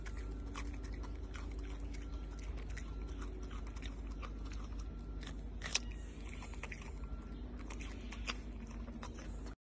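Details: Crunchy mastication from a Malayan tapir feeding on carrot, scattered crisp bites and grinding, one loud snap near the middle, over a low steady hum.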